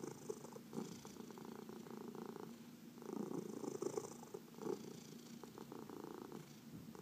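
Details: Deep contented purring from a domestic cat receiving a massage, one of four adopted cats including seniors from the Humane Society of New York City; even rumble with brief louder swells, gentle hand rustles indoors.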